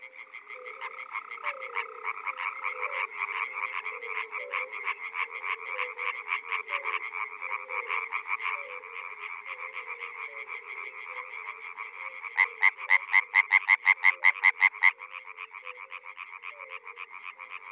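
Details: Frogs in the Czech Republic in spring, calling in a chorus of rapid, evenly pulsed rattling notes, with one louder, closer burst of pulses near the end and a low warbling murmur of further calls beneath.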